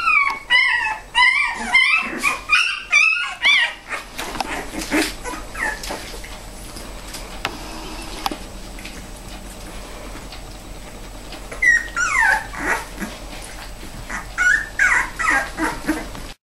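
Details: Bella, a mother dog, with her puppies. High squeaky whimpers and yips come in quick bursts through the first four seconds. Then come quieter rustling and shuffling, and more thin whines near twelve and fifteen seconds.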